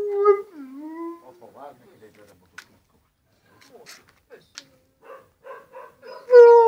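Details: Husky named Molly lets out a smooth falling howl that slides down and levels off, then soft voices and quiet knocks follow before a second loud tonal cry begins at the end.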